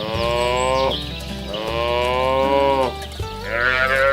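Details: Village cattle in a herd driven through a rice field ditch toward the livestock pen: three long, drawn-out harmonic moos, each lasting about a second, with a steady musical drone underneath.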